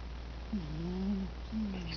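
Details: A cat named Mitty asleep and snoring indoors: a low, drawn-out droning snore with a faint harmonic rasp, one long breath then a shorter second one, over steady low background hum.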